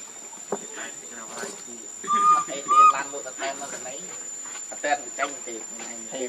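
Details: Hungry for milk, baby monkey Lucie gives two loud, clear, whistled cry notes about half a second apart, with rustling, clicks and other soft background sounds around them.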